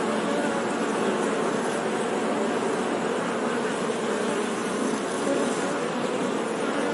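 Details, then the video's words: Steady buzzing of honey bees, a thick continuous drone with faint low humming tones underneath, unchanging across the whole stretch and with no other distinct sounds. "Bee Sound 🐝 | Sonido de Abeja | मधुमक्खी की आवाज़"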